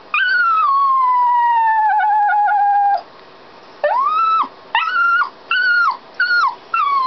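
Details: Dog left locked inside a canal boat while its owners work the locks and steer, crying: a long falling howl of about three seconds, then a string of short rising-and-falling whimpering cries after a pause.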